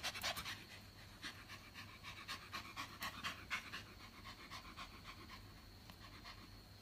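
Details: Excited Japanese Spitz puppy, super hyper, panting hard in a steady run of short airy puffs, roughly two per second, loudest early on and easing slightly later, over a faint low hum.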